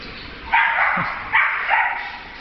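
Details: Beagle in a pet shop giving three short, bright, high barks or yips within two seconds, the first two loud and harsh, the last softer, over a steady indoor hum.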